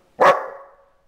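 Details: Belgian Malinois puppy, five months old, being trained, gives one loud, abrupt bark that trails off over about half a second, then silence.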